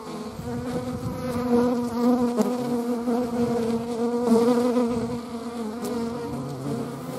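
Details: Buzzing hornet among wasps and honey bees: a loud, unbroken humming drone with clear layered overtones, wavering slightly in pitch and volume as the insects hover and move.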